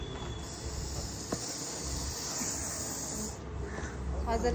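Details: A heavy Russell's viper being packed into a bag during a rescue produces a continuous airy hiss lasting about three seconds before cutting off, followed by faint rustling, with a low hum underneath.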